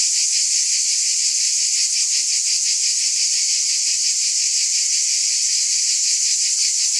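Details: Many cicadas buzzing together as one high, hissing wall of sound, gently pulsing roughly three times per second, level and continuous from start to end.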